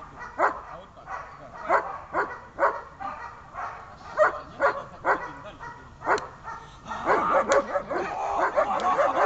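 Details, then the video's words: German Shepherd at its first protection training session, barking hard and repeatedly, about two barks a second with short gaps, ending in a denser, noisier burst of barks. "немецкая овчарка . первый опыт защитного тренинга"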